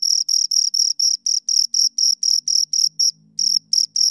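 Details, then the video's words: Two crickets chirping close up, a shrill high-pitched pulsed chirp repeated about four times a second in even bursts, with a brief pause near the three-second mark and a faint low hum beneath. "Two Crickets Chirp Sounds"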